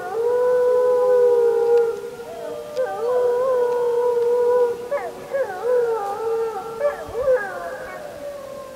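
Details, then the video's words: Wolf howling under the full moon of 31 July 2015, recorded on a JVC Everio camcorder: a long steady howl, then several voices joining with wavering, sliding howls that rise and fall. "Full Moon 31.07.2015 [Wolf Howling]"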